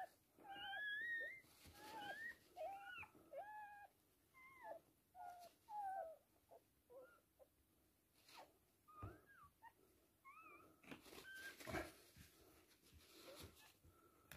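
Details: Toy Poodle giving birth to three girl puppies; bursts of short upward-bending squeaks and whines early on, thinning later into scattered faint cries among clicks and rustling handling noises.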